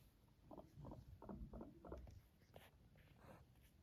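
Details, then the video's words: Yawning, purring pet guinea pig giving a quick series of short, low, buzzy pulses, about three per second, followed by faint soft rustling. "Cute yawning and purring of a guinea pig."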